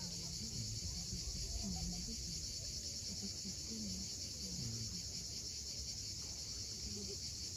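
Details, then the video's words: Crimean coast at Cape Fiolent at sunset: cicadas keep up a dense, unbroken shrill hiss while waves rumble below and low, wavering voice-like sounds rise and fall repeatedly in the background. "Cicadas at sunset."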